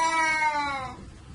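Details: A cat gives a single drawn-out meow, rich in harmonics, holding steady and sliding slightly lower in pitch for about a second before fading into background noise.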